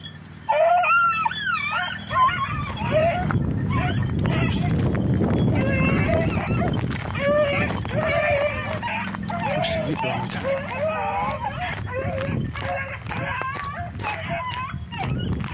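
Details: Red and blue tick and lemon-white beagles on hare hunting practice, Crete, 2022: several dogs bay and yelp together in wavering, overlapping cries over a steady low rumble.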